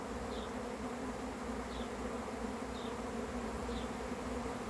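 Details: Honey bee swarm arriving, heard as an unbroken, dense buzzing hum, with a small bird chirping faintly about every second and a half.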